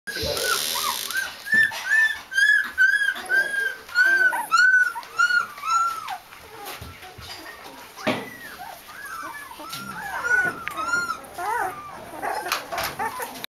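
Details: Chocolate Labrador Retriever puppy littermates whimpering indoors: a run of high, arching whines repeated roughly every half second, fading into softer, more scattered squeals with rustling and faint voices behind.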